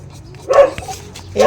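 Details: Two brief, nasal whines from Zoey's hungry puppies, about a second apart, set against a quiet, hushed background.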